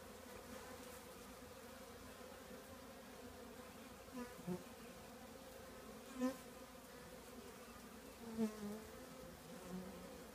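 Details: Honey bee colony living in an old trash can: a steady, low droning hum with layered tones, plus a few soft bumps and clicks scattered through the drone.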